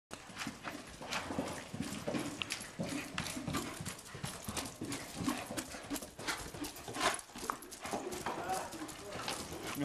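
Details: Tennessee Walking Horse hoofbeats, a steady clip-clop of rapid repeated percussive footfalls throughout, with a broad hiss of background noise.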